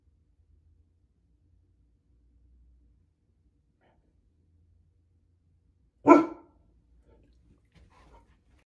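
After a long quiet stretch, a Goldendoodle lets out one abrupt, full-throated bark that ends quickly. It is a guarding bark meant to warn off intruders, heard indoors with little else around it.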